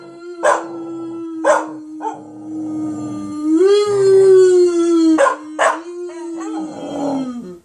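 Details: A female Border Collie puppy, needing some encouragement, howls in a long, steady, mournful tone that swells higher before sliding back down, likened to rusty nails in a blender.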